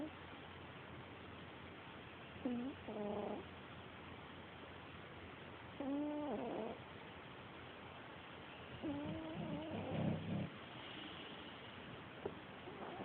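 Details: Female pet cat snoring loudly while asleep, recorded on a mobile phone; droning, wheezy tones recur about every three seconds, each lasting roughly a second, some rising then falling, over a steady low background hiss.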